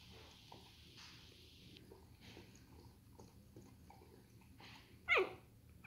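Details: Two-day-old puppies sleeping and yawning indoors: a long quiet stretch of soft hiss and faint breathing, broken near the end by one short, sharp, high squeak.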